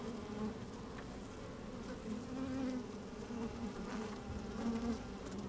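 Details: Honey bees moving about inside an open hive on a sunny day fill the air with an even, low hum, several short higher buzzes rising and fading over it, plus soft scratching.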